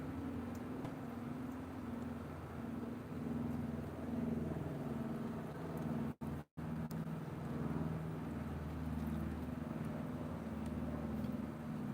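Steady low traffic rumble with engine hum and a brief dropout midway; no animal calls stand out.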